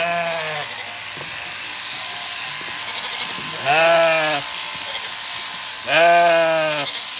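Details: Zwartbles lambs and their freshly shorn ewe on an Irish farm in County Kilkenny, the lambs not recognising her changed look and smell; two loud, drawn-out, tremulous bleats about two seconds apart over steady background hiss.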